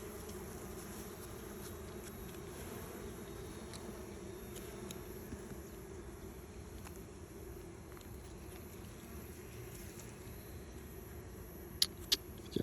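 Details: Bees humming around two nests sitting side by side, one of them deserted; a soft continuous drone with faint ticks, ending in a few sharp knocks.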